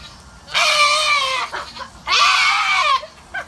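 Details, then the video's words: Goat being bathed lets out two drawn-out, shrill, quavering screams close together, each nearly a second long and sagging in pitch at the end, with brief breathy sounds between. "Screaming goat getting a bath"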